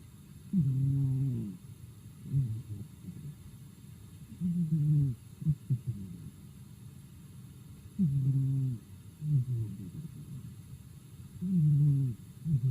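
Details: Daigoro, a pet house cat, sleeping and snoring at home: low, rumbling snores in soft paired breaths, with a longer throaty snore roughly every three to four seconds. Short fainter puffs fall in between, and the room is otherwise quiet.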